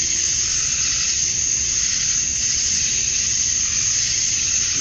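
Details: Summer-night cicadas in Georgia, USA, with males calling to attract females at dusk, make an unbroken, high-pitched shimmering drone that holds level throughout, with no other clear sounds.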